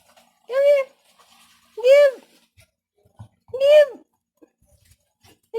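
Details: Puppy playing with a toy: four short, arched, whining yelps, each rising then falling, spaced about one to two seconds apart with quiet gaps between. Faint soft clicks and knocks in the background.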